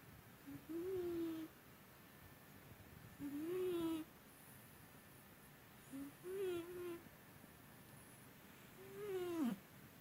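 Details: Domestic cat asleep and snoring, a long-standing habit that is unusually loud today, mistaken at first for a person. Short whistled breaths with buzzy harmonics rise and fall, four snores roughly every three seconds in a quiet indoor room.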